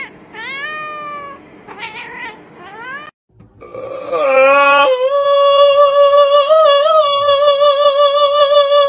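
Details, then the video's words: Pet cat filmed indoors for a funny compilation, giving a series of falling harmonic meows, then a long drawn-out wavering yowl held steady for several seconds, with faint room noise. "Crazy Funny Cute Cats😹Fail ops Moments"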